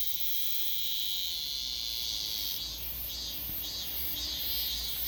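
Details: Robust cicada at Daegok-ri, Gapyeong County, returned after one year: a dense high buzzing drone, then pulsed bursts rising and falling in the second half.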